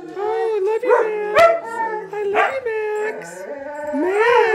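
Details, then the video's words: Several pet huskies in a house howl together, long wavering tones sliding up and down with rich harmonics, broken by short yips and a person's voice. "singing huskies"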